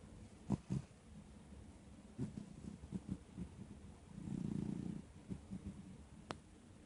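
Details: Dog snoring: soft low rumbling pulses, then a longer breathy low snore lasting nearly a second, followed by more quiet rhythmic rumbles and one sharp click near the end.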